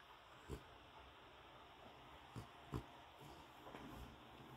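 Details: A happy French Bulldog in its new bed gives a few short, low snorting grunts, spaced irregularly over a quiet background.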